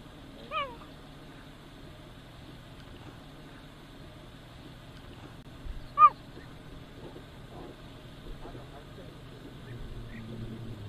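A cheetah gives two short, high, bird-like chirps several seconds apart over a low background rumble.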